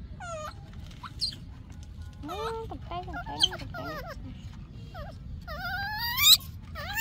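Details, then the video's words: Yaya's baby monkey crying for Yoyo's milk: a rapid string of high, sharply rising and falling screams with rich harmonics. Some are drawn out and climb steeply near the end, over a steady low hum. "Yaya's baby monkey is still broken, screaming for Yoyo's milk"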